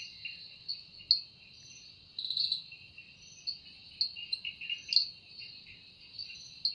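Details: Cicada in a forest at evening, the sound made by its wings. Shrill sustained buzzing is punctuated by sharp clicks and brief louder surges, with a lower chattering pulse train alongside.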